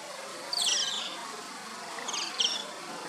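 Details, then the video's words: Asian small-clawed otter pups at play: short, high, squeaky chirped whistles in two brief bursts over a soft background hiss. "Otter call/ Whistling Otter"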